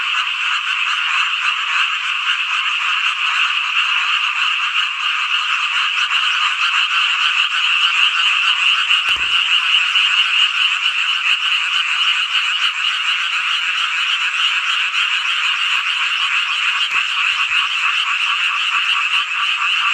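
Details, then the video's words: Dense chorus of many frogs on a midsummer night in rural Hongcheon, Gangwon-do, Korea: continuous overlapping croaks forming an unbroken, buzzy, high trilling drone. A single faint click sounds near the middle. "한여름밤의 #개구리 합창단 노래소리"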